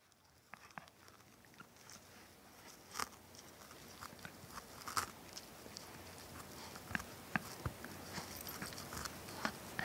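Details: Ronin, a Shiba Inu and Schipperke mix dog, chewing on a tennis ball indoors: irregular soft squeaks and crunchy clicks, about two or three per second, in a quiet small room.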